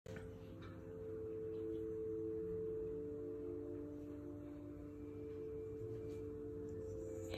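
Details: A sustained, ringing metallic tone like a singing bowl fills the whole stretch. No animal call can be picked out beneath it.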